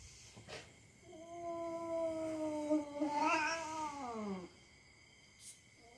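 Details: Pet cat caterwauling while play-fighting with the household's young dog, just for fun: a single sustained, steady yowl over three seconds, wavering and rising sharply near the end before dropping away, then quiet.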